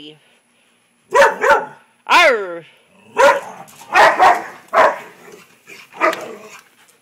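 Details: Rottweiler upset by a frog gives several short barks, one with a downward-sweeping, whining tone, spaced about a second apart and mixed with a woman's voice close by.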